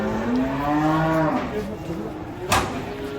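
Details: Cattle being unloaded from a truck give a drawn-out, low moo that rises slightly and then falls away over about a second and a half. A sharp knock follows, with faint voices and engine hum behind it.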